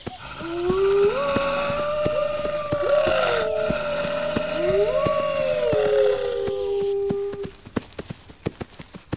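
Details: Chorus of several wolves, their howling said to rally the pack against an attack: sustained overlapping howls rising and sliding down, layered with higher wavering voices, fading out after seven seconds to leave sharp repeated clicks.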